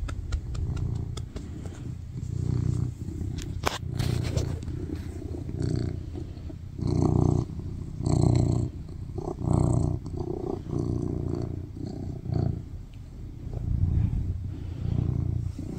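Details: Loud purring from a male tuxedo cat cuddled on a lap, seeking attention and affection; deep pulsing rumble rising and falling with each breath, scattered handling noises early on.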